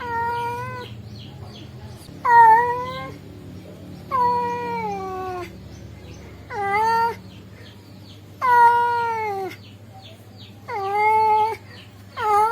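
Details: Tomcat calling for a female, giving long wavering yowls roughly every two seconds, some sliding downward at the end, with a soft background hum.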